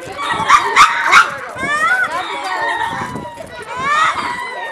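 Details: Lemurs in Attika Zoo Park making noise as they move about, giving a chorus of bent, wailing tones that slide up and down, several voices overlapping, over background chatter.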